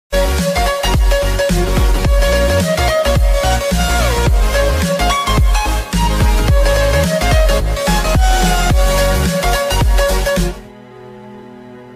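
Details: Loud electronic dance music with heavy pounding beats and synth lines, fading to a quiet low hum near the end; no animal voice is heard.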